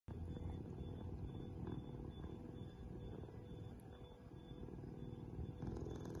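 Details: A rescued cheetah cub at a cheetah safe house in Somaliland, confiscated from the illegal pet trade, purrs in a deep, continuous, rumbling drone that carries steadily throughout.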